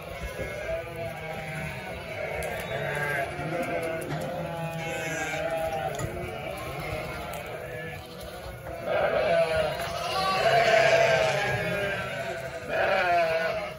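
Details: About 900 sheep and 900 lambs bleating en masse; a dense hum of overlapping calls swells near the end, with louder wavering baas standing out above the chorus.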